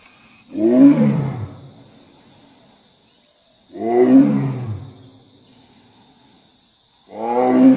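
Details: Three deep, gravelly roars from a Bengal tiger, spaced about three seconds apart, each swelling quickly then fading in a drawn-out growl, with a faint constant high-pitched tone in the background.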